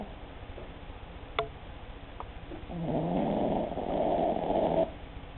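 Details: Short-snouted Cavalier King Charles Spaniel Empress asleep: a few faint clicks and soft breaths, then a loud, raspy two-second snore that grows louder toward its end before stopping abruptly.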